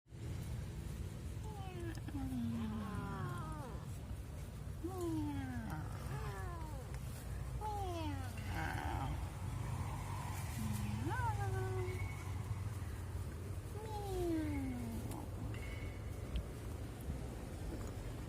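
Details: Domestic cat meowing to ask for play: a series of falling, slurred meows, one roughly every one to two seconds, some short and rising, over a constant low rumbling background noise.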